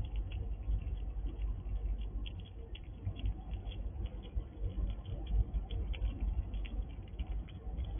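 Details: A wild squirrel crunches dried apple in a sliding drawer, quick, dry crackling bites over a low, muffled rumble.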